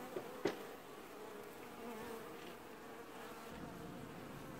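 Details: Honey bees at a hive in an apiary, washboarding in early July 2019; steady many-winged buzzing with a hum band in the middle, opened by a brief sharp tap.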